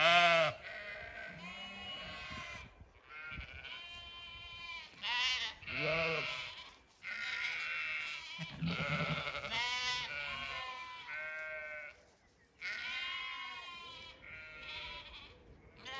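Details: Flock of Zwartbles ewes and lambs grazing an Irish orchard in County Kilkenny at evening; many overlapping bleats, some deep and wobbling, others high and tremulous, calling almost continuously with short pauses.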